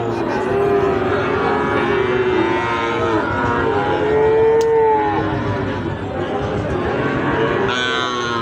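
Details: At Ambari haat, a weekly cattle market, Sahiwal bull calves low amid the crowd. One long, slightly rising moo stands out midway, with fainter calls earlier and steady human chatter throughout.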